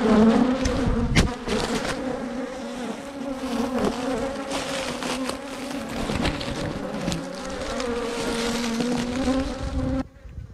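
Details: Bees angrily attack a GoPro, producing a heavy, wavering drone of many wings with sharp knocks from bees striking the camera. The buzzing cuts off abruptly near the end.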